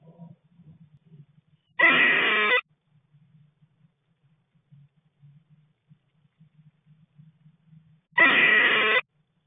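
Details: Squirrel displeased at another squirrel entering the nest where it was sleeping; two loud, harsh, buzzy calls, each under a second long, about six seconds apart, with soft low rustling between.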